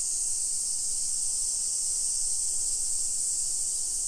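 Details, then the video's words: Steady shrill buzz of summer cicadas in suburban Nisshin, Aichi Prefecture, Japan, early afternoon of 28 July 2021; a seamless high-pitched hiss sustained without variation. "Summer Cicadas Sounds"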